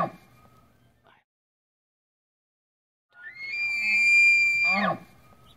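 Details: A bull Tule elk with a harem of 16 cows bugles during the annual rut to attract cows and warn off bulls, a high, sustained whistle breaking into low grunts; San Luis National Wildlife Refuge, central California, 8 September 2016.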